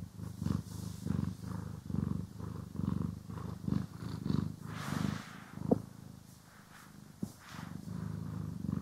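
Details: Domestic cat purring as it is brushed and groomed, recorded in stereo; low pulsing purr strongest early, then quieter, overlaid by a louder brushing swish and two sharp clicks later on.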